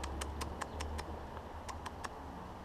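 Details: An out-of-season bat, likely a little brown bat or long-legged bat, is agitated after capture in winter. It hisses, shows its teeth and gives sharp, dry tisking clicks in quick uneven bursts, wanting to be left alone.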